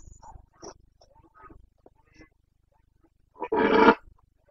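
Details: Red deer stag of the Carpathians, Bucovina, Romania, in the rut on 29 September 2022: several faint, scattered short grunts, then one loud, broad, growling roar swelling for about half a second near the end.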